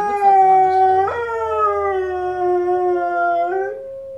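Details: Female Presa Canario dog indoors howling along to wolves howling on TV: a long, smooth, tonal howl with a sudden upward jump after about a second, then slowly falling and steady. Ends with a brief rise before fading.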